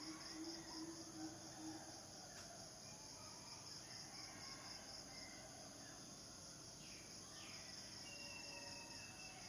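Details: Male cicadas, singing to attract mates, keep up an even shrill drone from start to finish. A few faint bird whistles and rising notes come near the end.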